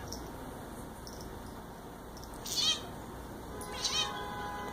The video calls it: Dyson the Chirping Bengal Cat!!!